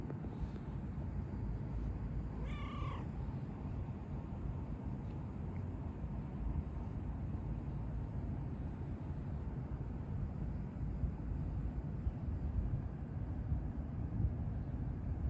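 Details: A stray cat with a Pikachu-like tail, met again after a long while, wags its tail, rolls and headbutts; one short, rising then falling meow comes near the third second over a steady, loud low rumble of background noise.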